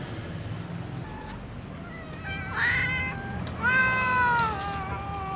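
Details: Cat asking to be fed among other cats: a short rising meow followed by a longer, louder meow that climbs and then falls away, over a steady low hum.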